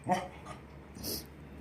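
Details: Beagle being coached to bark on command gives a single short, sharp bark, followed by a person speaking in a small room.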